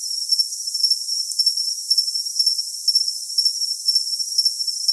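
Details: Cricket chirping for tinnitus masking: a steady, thin, high-pitched trill with brighter pulses about twice a second and a faint higher overtone, no other sounds, and the low range silent.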